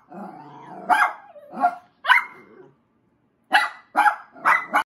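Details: Puppies barking at a stuffed yorkie toy, recorded March 22, 2021; high, yappy barks in a loose irregular series, several grouped near the end, with a pause of silence in the middle.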